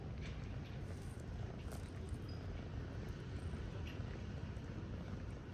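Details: A stray street cat in Istanbul, affectionate with a person it has just met, purrs while being petted and cuddled. The purr is a steady, deep, continuous rumble that runs through the whole stretch without a break.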